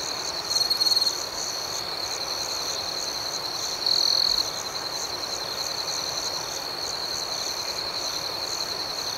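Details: Crickets at night forming a steady, high, ringing trill; two closer bursts of louder chirping, one early and one about a third of the way in, rise above the even, rhythmic chorus.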